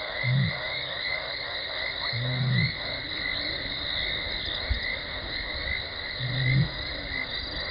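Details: Lioness Talamati contact calling near Gowrie dam waterhole, Djuma Game Reserve, Sabi Sand Wildtuin, South Africa, 17 December 2020, before running in: three short, low, moaning calls spaced a few seconds apart beneath a steady, shrill background chorus.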